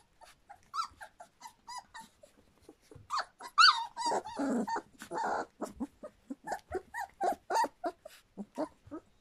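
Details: Litter of Standard Poodle pups just past three weeks of age: thin, high squeaky whines, some wavering, dense and overlapping from several pups, growing busier midway, with scattered clicks and shuffling noises.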